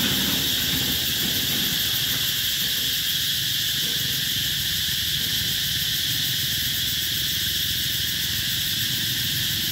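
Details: Cicadas at Mỹ Luông eco-tourism area, Chợ Mới district, An Giang province, Mekong Delta, Vietnam, summer 2021: a dense, shrill, unbroken buzzing that holds steady for the whole stretch, with a soft low rumble underneath.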